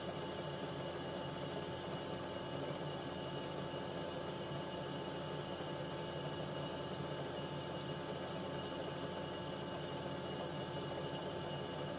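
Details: Continuous machine-like hum and hiss in a small room, and no animal sound.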